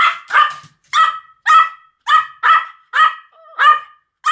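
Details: Two Pomeranians, Sam and Marin, barking as a duet: sharp, high yaps come in a steady string of about eight, each with a bright ringing tone, separated by short silences.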